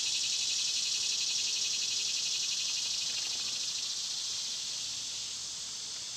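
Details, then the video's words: A loud summer cicada drone, a harsh, high, rapidly pulsing buzz that stays strong, then eases slightly softer toward the end. "Cicada sounds"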